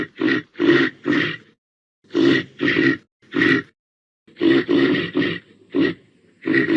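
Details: Short throaty reindeer grunts come in clusters of two or three, separated by silent gaps of about a second.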